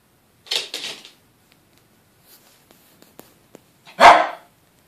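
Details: Indoor Yorkshire Terriers, a male often terrorised by the female; two quick yappy barks open the moment, light tapping follows, then a single loud bark.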